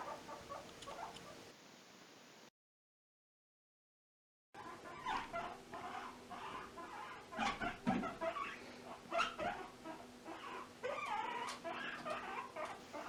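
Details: A guinea pig (Cavia porcellus) gives quick, energetic little pips in a rapid, uneven series while jumping (popcorning). This shows excitement and joy as it lets off steam.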